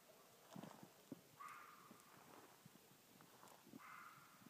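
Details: A single red fox in Tennessee, heard at night from about 50 yards, gives two drawn-out, wavering screams spaced a couple of seconds apart.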